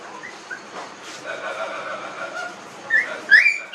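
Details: Newborn puppies, 19 days old, in a village: brief high squeaky whimpers rising and falling near the end, over a steady background hiss with faint earlier chirps.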